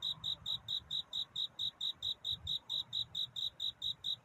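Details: Courtship song of a cricket at night near dawn: clear, high, evenly spaced chirps, about four each second, with faint low rumble beneath.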